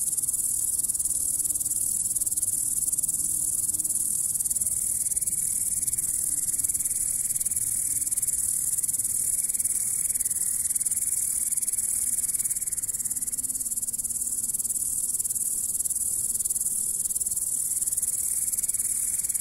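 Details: Grasshopper sitting and going about its activity, giving a continuous high, dense shrill buzz that holds steady without pause throughout, with a faint fluttering lower tone drifting in and out underneath.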